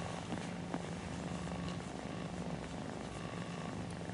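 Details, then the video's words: Purring mother cat nursing kittens as they drift toward sleep: a dense, continuous low purr with an even pulsing rhythm, clear and close, plus faint soft rustles. "Cat Mom's Lullaby: Purring Kittens Drift into Dreamland"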